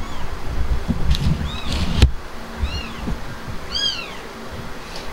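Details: Himalayan cat Blanca after giving birth: a few thin, high-pitched arched mews in the second half, partly masked by low rumbling handling noise and a sharp knock near the middle.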